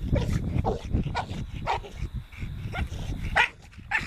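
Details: American Bully dog giving short, sharp barks or yips in quick bursts about every half second, over a constant low rumbling background noise.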